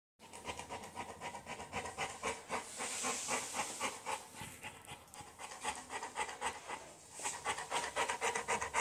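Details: Bullmastiff Tua waiting at the vet, panting hard: fast, breathy huffs at almost four per second, evenly paced and growing louder toward the end, with a brief hiss early on.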